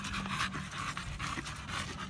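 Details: Panting from the American Bully Samson in the middle of gym exercise: short raspy breaths in a fast steady rhythm, with a low background hum throughout.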